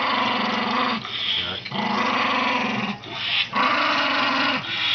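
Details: Elderly Toy Poodle, getting senile with age, giving drawn-out rasping growls in three long pulses, each sustained about one to one and a half seconds with short breaks between.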